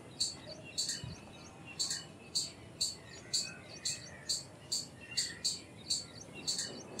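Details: High, squeaky chips from an Indian palm squirrel, about fifteen in a row, evenly spaced at around two per second, with faint murmuring chatter in the background.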